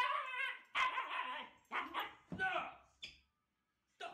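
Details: Pet husky making a funny vocal sound: a string of loud, harmonic, yowling bursts with pitch bends, separated by short gaps. One shorter yelp follows a pause near the end.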